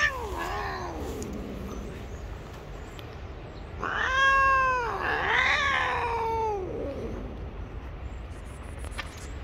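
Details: Stray gray cat living on the street, furious when touched, lets out a sinking low yowl, then after a lull a louder wavering caterwaul that swells, dips and trails off into a descending moan; light outdoor background hum.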